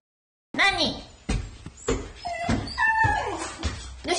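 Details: Shiba Inu named Kuri, dressed in her uncle's clothes, waiting indoors for him to come home and seemingly getting angry when he is late; after a brief silence, a run of whiny, grumbling vocal moans rising and falling in pitch.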